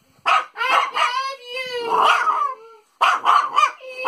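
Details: French Bulldog singing for Father's Day: a string of short yowling, howl-like notes with wavering pitch, a longer sliding note in the middle, then after a brief pause a burst of quicker yips and warbles.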